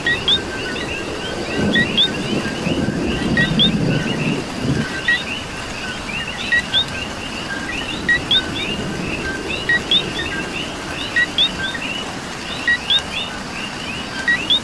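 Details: Coqui in Puerto Rico during rain: a near caller repeats a two-note "co-qui", a short low note then a sharp upward whistle, roughly every one to two seconds. A dense chorus of other frogs and a low rumble of rain sit behind it.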